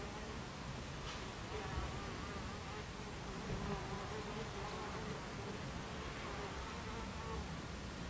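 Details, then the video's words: Hive entrance of Buckfast bees, July 2013 at 14:30, alive with a thick, unbroken hum; a low wavering drone of wings rises and falls slightly as bees come and go. "Beehive Entrance Buckfast Bees"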